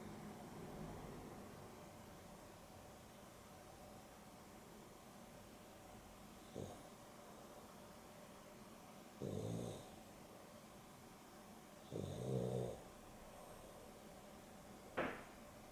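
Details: Afternoon nap of two pet dogs, Boston Terrier and Beagle cross Dexter and Rio: six quiet seconds, then four snuffling snores at uneven gaps of about three seconds against a soft background hum.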